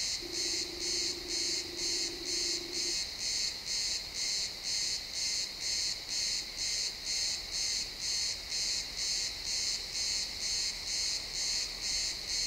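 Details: Sunset in a pine forest, crickets chirping in real time: bright regular pulses about twice a second, with a brief steady mid-pitched tone for the first three seconds.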